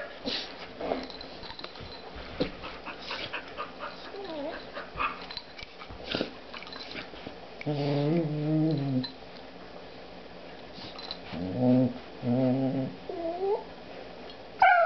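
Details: Spruce, a female dog, romps happily with her new puppy; low rumbling growls run throughout, broken by strings of wavering, tonal whines and short yelps around the eighth and twelfth seconds, ending in a sharp high yip.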